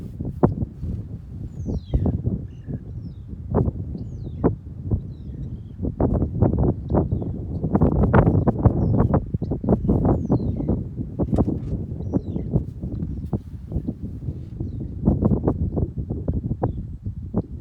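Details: African wild dog; sneeze; signalling readiness to set off on a hunt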